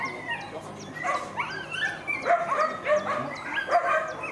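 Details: Female classic Whippet at racing runs, Lednický zajíc event: excited high whining yelps and squeals, rising and falling, in quick bursts about every half second.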